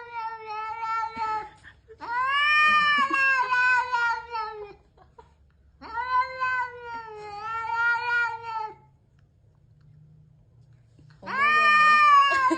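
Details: Cat giving long, loud, drawn-out wailing yowls, rich in overtones, each lasting two to three seconds with wavering pitch, separated by short quiet gaps in a small room.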